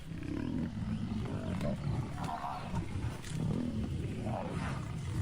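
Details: Lion of a hunting pride on the African savanna: deep, rumbling low roaring that swells and fades over several seconds, with broad noisy background and faint higher rustles.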